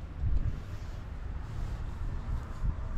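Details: Heavy low wind buffeting on the microphone fills the recording, with no animal sound.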